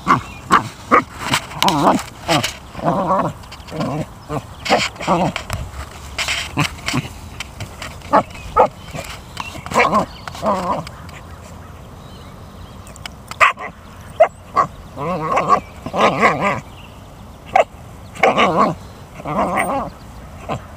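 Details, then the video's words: American Eskimo Dog playing outdoors with an abandoned rubber basketball found at a school yard; repeated short, harmonic yelping and whining bursts come in clusters throughout, with pauses between runs and a low background rumble. "Vocal American Eskimo dog while playing"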